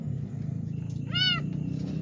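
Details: Pregnant domestic cat in labour, suffering while giving birth to two kittens; a single short harmonic meow rises and falls over low steady background hum.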